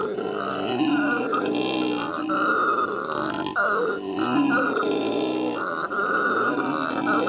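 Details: Howler monkeys at the L.A. Zoo, May 2014, roar in rough overlapping bursts, a throaty growling drone swelling and falling with short breaks around three and a half seconds.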